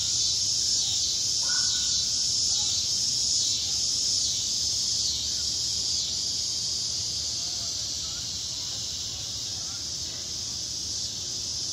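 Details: Cicadas in south Charlotte, North Carolina, calling after a storm: a steady, dense high-pitched buzzing drone that holds without pause, with faint low rumble beneath and a brief higher whistle early on.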